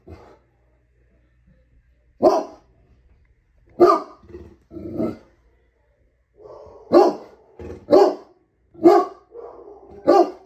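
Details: Homer, a pet dog, barks at the Hulu logo on a TV screen: loud, sharp barks spaced irregularly over ten seconds, mixed with lower grumbling growls between them.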